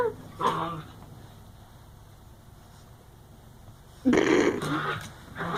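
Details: Playing dogs making odd wookie-like noises: two short bursts of rough, growly grunting, one near the start and a louder one after about four seconds, with a quiet gap between them.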